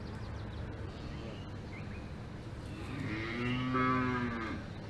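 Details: A cow on a farm in the Alps gives a long, low, droning moo that swells in the middle before fading away.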